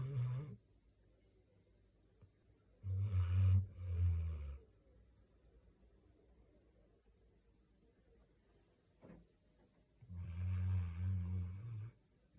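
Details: Gangdori, a large mixed-breed dog, snoring like a person while asleep: three deep, low rumbling snores, each about one to two seconds long, with long quiet gaps between them in an otherwise silent room.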